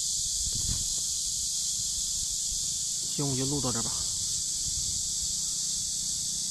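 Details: Riverside cicadas in warm summer, 23 July 2015, keep up a constant high electric buzz; a short human voice or squeal cuts in for under a second midway, with low rustling beneath.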